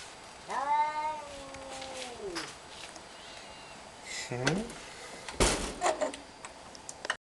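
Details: Cat meowing: a clear, slightly bending harmonic meow lasting about two seconds, followed by a shorter descending cry, with people talking, clattering and rustling sounds around it.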